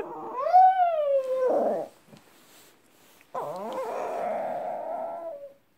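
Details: Indoor pet dog giving wolf-like howls: a rising-then-falling harmonic howl lasting over a second, a pause, then a second longer, wavering, steadier howl. People chat quietly nearby.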